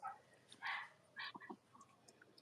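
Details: Cavalier King Charles Spaniel puppies from the litters of Robin and Myra, indoors on a chilly morning: short high squeaky yips, two brief bright bursts with a few softer whimpers after, over a quiet hiss.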